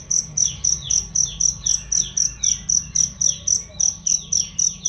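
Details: Cricket song meant for tutoring songbirds: crisp high chirps in a regular run of about four per second, overlaid by frequent falling bird chirps of similar rhythm.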